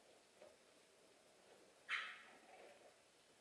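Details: French bulldog puppies: one short, sharp, high yelp about two seconds in, preceded by faint soft stirrings, with quiet room noise throughout.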